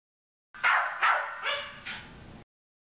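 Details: Sookie, an energetic Jack Russell Terrier bouncing about at Thunder Bay Veterinary Hospital, gives four short high whining yelps in quick succession, each with a bright harmonic-rich onset, over about two seconds in a quiet room.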